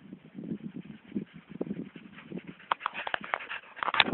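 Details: Dog panting in soft, rhythmic breaths through the first half, then louder, scrappier huffs and a brief whine-like note toward the end, recorded outdoors.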